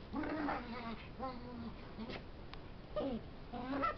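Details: A puppy making funny noises while wrestling with a big dog that ends up trapped: several drawn-out, nasal whines and yelping squeals in short bursts, over a steady hiss of background noise.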